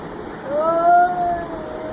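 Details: Cat making odd sounds indoors: one drawn-out tonal meow-like call that rises gently, holds steady for about a second, then fades, with clear stacked overtones over a constant low hum.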